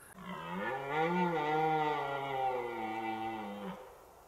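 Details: A red deer stag in a forest, rutting, steps over a low wall a few paces from the listener and gives one long, deep, hoarse bellow (bramé) that swells and then fades away.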